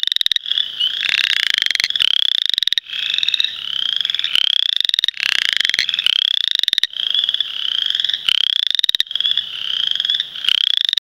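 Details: Western chorus frogs (Pseudacris triseriata) singing during the 2010 mating season give repeated rising, creaking trills, like a fingernail run along a comb.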